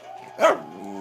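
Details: Angus, a Pembroke Welsh Corgi, gives one sharp, hoarse bark between drawn-out whiny, moaning grumbles, talking back to demand cheese.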